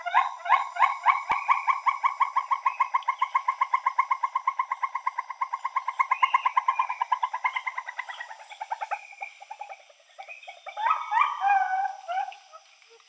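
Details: Northern gray gibbon female and male singing a duet: a long run of rapid, evenly repeated hooting notes that gradually slow and fade, then a burst of louder rising and falling whoops near the end.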